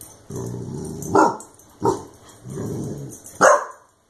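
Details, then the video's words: Clumber Spaniel puppy, sprayed with a compressed air can after chewing it, barks sharply three times with low rumbling growls in between, ending on a strong bark. "Clumber Spaniel Puppy vs Compressed Air Can"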